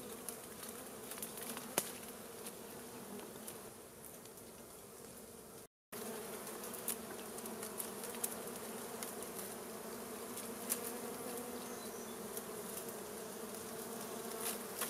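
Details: Swarm of wild honey bees driven from their hive by smoke during a honey harvest; a thick, steady droning buzz persists throughout, briefly cut by a moment of silence, with occasional light clicks.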